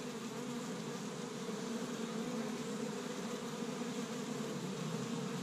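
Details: Established hive of honey bees in Michigan, active on spring's first warm day while gathering tree-bud pollen; a constant low-pitched collective drone with steady level, countless bees humming together.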